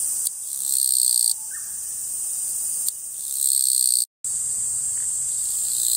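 A Japanese katydid sings in harsh, high buzzing bursts, each lasting a second or more.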